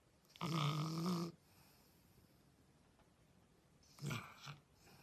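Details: French Bulldog puppy making a low, rough grunting growl lasting about a second, then a shorter snort-like grunt a few seconds later, in an otherwise quiet room.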